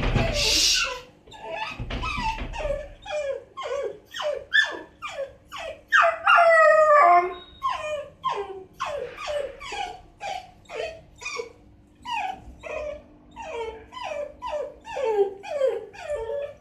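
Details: A 6-month-old Miniature Dachshund puppy cries at night in a steady series of high, wavering whines, asking to go out.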